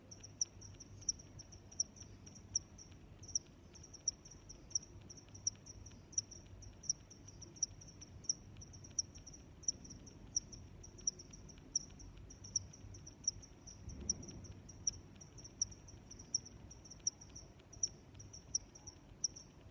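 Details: Sustained cricket chirping: a shrill continuous trill punctuated by crisp pulses about every 0.7 seconds, with a brief muffled low thump near the fourteen-second mark.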